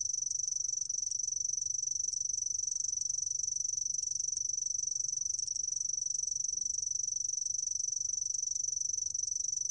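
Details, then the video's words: A sword-tail cricket gives a steady, high, thin trill that runs unbroken with fine rapid pulsing, over only a faint low rumble. Sword-tail cricket. "풀종다리, 1번 듣기, 곤충소리"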